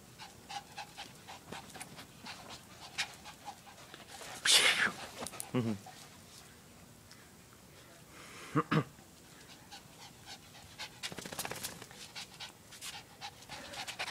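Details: A female Lhasa Apso puppy playing with the neighbour's dog pants quickly and breathily throughout, broken by a sharp, high yelp and a short whine, with soft human voices and scuffling nearby.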